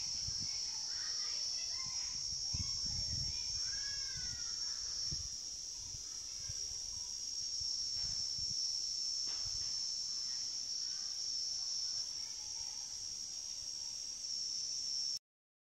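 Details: Cicada giving a continuous, shrill, steady buzz held at one high pitch for about fifteen seconds without a break, with faint murmuring voices and some soft low rumbling beneath it.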